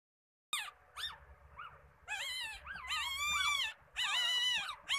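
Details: A 3-day-old male Shih Tzu puppy, eldest of a litter of five, cries in thin, high squeals that rise and fall in quick bursts.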